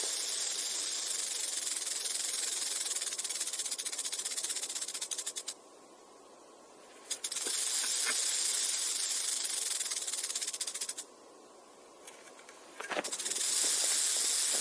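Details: Rattlesnake buzzing its rattle in bursts: a loud high hiss that cuts off twice for about a second and a half each time, then starts again abruptly.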